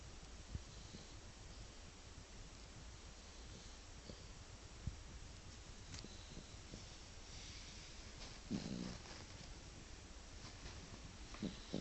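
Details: A pet dog sleeping and snoring, its cheeks puffing up; soft rhythmic low breathy snores continue steadily, with a louder snort near the end against faint background hiss.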